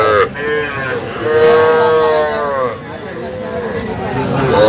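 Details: Young cattle at a Kushtia cattle market in Bangladesh on 8 October, where farmers buy small bull and heifer calves; a long, steady, resonant moo lasting over a second, then softer lowing, over a murmur of market crowd.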